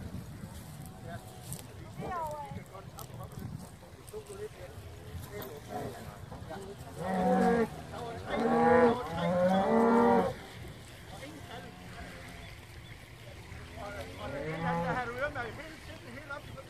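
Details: Hereford cattle, cows and calves landing on Skarø, Denmark, from a boat out of Tåsinge on 13 April 2016 for summer grazing: a loud run of mooing in the middle, with quieter calls and background murmur around it.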